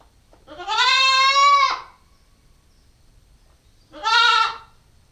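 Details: Female Nubian goat kid aged nine weeks, captured on a GoPro stakeout, bleats twice: a long, slightly wavering cry, then after a two-second pause a shorter one, in an otherwise quiet setting.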